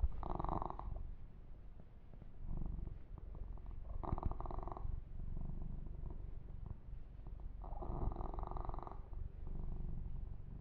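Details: Yumak, a male kitten, purring while being massaged and groomed; a steady low rumble runs throughout, with intermittent brighter rubbing and brushing sounds on the fur every few seconds.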